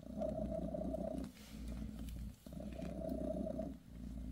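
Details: Mother cat Bassy purrs while giving her kittens a massage; a steady, low rumbling purr in two long breath cycles with a short pause between them.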